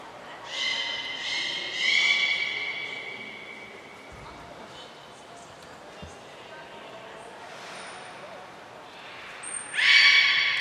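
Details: Aquarium belugas in a full-group training session at Port of Nagoya Public Aquarium, recorded 2 April 2023: rich, harmonic, whistled squeals at the start, a quiet stretch, then a sudden bright burst of squealing at the close.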